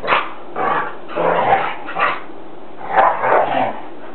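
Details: Dogs in a living room go through a full play-fight howl cycle: short, rough, growly howls in quick bursts, several in a row over a few seconds.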